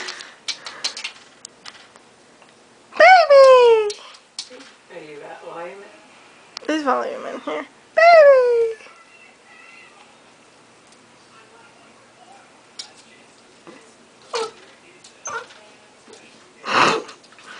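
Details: Pet dog named Baby barking at his own reflection in a mirror, apparently taking it for another dog; three drawn-out, whiny barks that slide downward in pitch, spaced a few seconds apart, with softer sounds and clicks in a small room.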